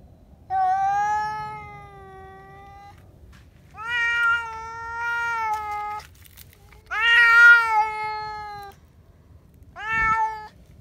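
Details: Indoor cats screaming on seeing a cat outside: four long, loud, harmonic yowls of one to two seconds each, separated by short pauses, the third rising harsher.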